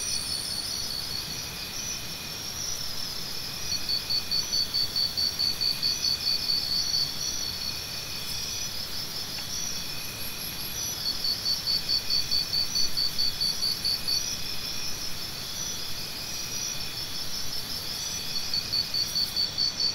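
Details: Repeated bursts of cricket chirps, each a train of crisp high pulses lasting a few seconds, separated by short gaps, over a continuous layered insect buzz.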